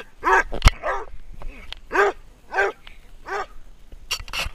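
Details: Basset Hound barking while running: deep, hoarse barks about every 0.7 seconds, with a sharp click and a few faint higher yelps near the end.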